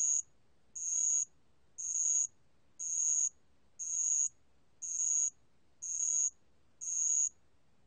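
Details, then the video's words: Steady series of eight high, metallic-sounding trills from a bell cricket, each about half a second long and repeated close to once per second. Recorded in 2020 by the National Institute of Biological Resources; background is otherwise quiet. "알락방울벌레, 여러번 듣기, 곤충소리"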